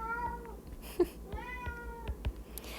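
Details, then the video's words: Pet cat in a small indoor room, meowing in the background of a lesson: two clear, level-pitched, slightly descending meows about a second apart, with a few sharp taps and steady low hum. "I don't know if you can hear my kitty in the background"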